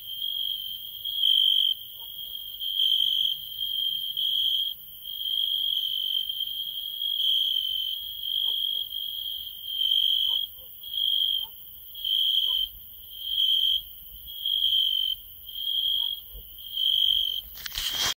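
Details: Field cricket, Hungary's insect of the year for 2016, producing a high clear trill broken into pulses about once per second, growing more regular toward the end, with a fainter higher insect tone alongside.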